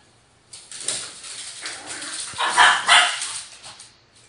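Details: Indoor barking match between pet dogs Cho Cho, a Toy Poodle, and Mimi, a Cavalier King Charles Spaniel, with a Japanese Chin named Gingi nearby: a rapid string of sharp, high yappy barks, loudest near the end.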